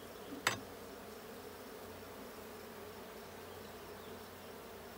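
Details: Honey bees in the blue hive during a hive check on 6/20/22, giving a steady low droning hum with a single sharp knock early on.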